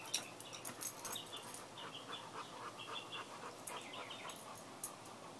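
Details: Cane Corso. A Cane Corso makes a run of thin, high whimpering squeals that come in short bursts. The sounds waver and repeat irregularly, some sharp and clipped, others drawn out.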